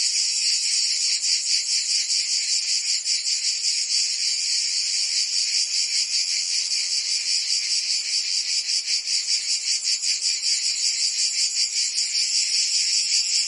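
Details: Summer cicada chorus in Provence, southern France, a shrill unbroken drone of many insects, throbbing rhythmically about two or three times a second throughout, nothing else audible.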